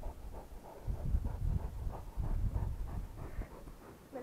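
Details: Rottweiler panting in low, breathy, irregular bursts, about three per second, swelling and fading over a few seconds, with a brief higher whine-like sound right at the end.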